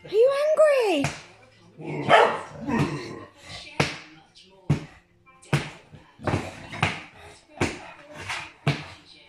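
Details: An English Bulldog, angry while playing with his owner, starts with a rising-and-falling whine-like note, then rough, clipped barks about every second, with a person's voice mixed in.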